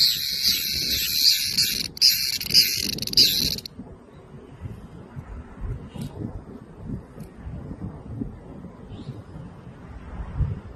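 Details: Cicada's harsh, high scream for under four seconds, then stopping abruptly, leaving low rustling background noise and faint distant sounds.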